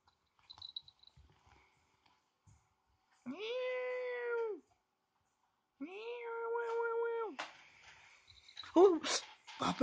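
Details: A white female Persian cat playing with a toy as if hunting it gives two long, drawn-out harmonic meows, each about a second and a half, the second slightly wavering, followed by brief squeaky, scratchy sounds.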